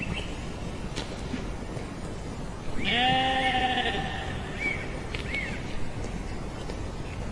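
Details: A single sheep's baa, about a second and a half long, steady and tremulous, rising out of low rumbling background noise, followed by faint short chirps.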